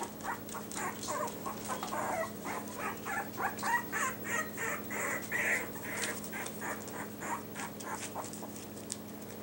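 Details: Several Yorkie puppies in new Velcro collars, one a dark-blue troublemaker boy and Hope in light blue, keep up a busy string of squeaky whines and yelps, several a second, over a constant electrical hum.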